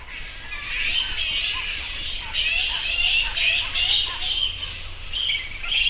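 A bat colony keeps up a steady, overlapping chatter of thin, squeaky chirps, many callers at once. The high twittering rises and falls in loose waves without a fixed rhythm.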